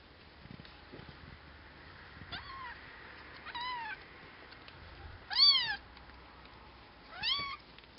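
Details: Cashmere and Bengal kittens nearly two weeks old give thin, high meows that rise then fall, four separate calls spaced a second or two apart, the later ones louder, over a quiet indoor background.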